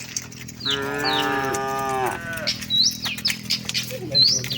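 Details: Tame cattle on the way to the shed in a herd; a single steady moo of nearly two seconds, followed by bright, quick bird chirps and a low background hum.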